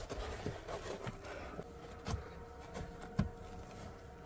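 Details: Quiet indoor background with soft scrapes, faint vehicle hum and a few dull knocks; no animal calls.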